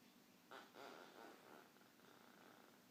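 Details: A sleeping French Bulldog puppy snores softly, with raspy, breathy rumbles in short bursts.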